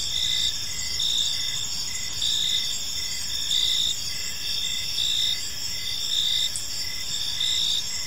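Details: Evening park crickets: overlapping high chirps pulsing roughly every second in a dense continuous chorus, with faint low-frequency ambient noise underneath.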